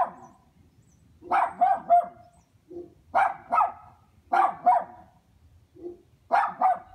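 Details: Chained neighborhood dogs at a dog house giving quick double barks in regular volleys, pairs of sharp barks every second or so, with softer low woofs in between.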